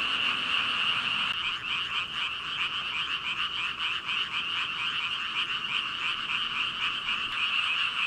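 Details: Thousands of frogs call at once on a walk home, so loud they carry across the road to the village and sound siren-like though no frog is visible, a dense, steady, high trilling wall of sound.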